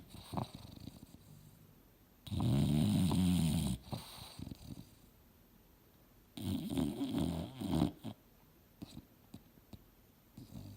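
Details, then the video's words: Female English Bulldog named Mildred sleeping on a couch while dreaming. Two gravelly, rumbling snores about four seconds apart, each over a second long, with soft snuffles and small clicks in between. "SNORING BULLDOG SLEEPING & DREAMING HARD!!!"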